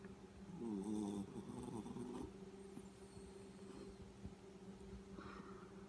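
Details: Yorkshire Terrier snoring while asleep indoors: a raspy, buzzy rattling breath near one second, followed by softer rough breaths over a steady low electrical hum.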